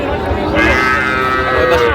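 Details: Sahiwal bull calves bought by a farmer in Joypurhat on 20 October 2025: a short tonal moo rises out of a busy background of voices and trading chatter, lasting about a second and a half.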